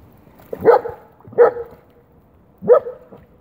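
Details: German Shepherd playing in rainwater, giving three short, mid-pitched barks: two in quick succession about 0.7 seconds apart, then a pause before the third.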